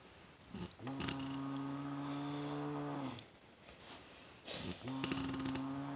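A bear snoring: low, droning breaths, each held steady for about two seconds before a short pause.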